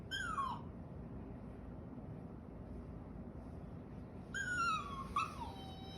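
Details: Akita dog crying in response to petting and being spoken to: two falling, plaintive whines separated by several seconds of quiet, the second longer with a brief catch near its end.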